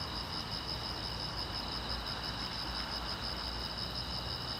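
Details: Crickets chirping at night beside a silent road, a steady, continuous high pulsing trill in two tight bands, layered over a soft, even broadband hiss with faint low rumble underneath.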